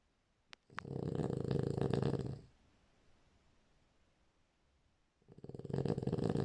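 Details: Deep, rattling snoring from a French Bulldog asleep, a long vibrating inhale lasting nearly two seconds, a quiet pause, then another snore beginning, preceded by a couple of small clicks.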